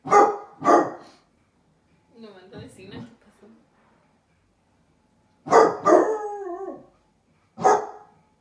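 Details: Basset hound puppies Musta and Ari barking from indoors at a stranger outside the window; a pair of quick barks, a soft murmured voice in the middle, then a longer drawn-out bark and one more sharp bark.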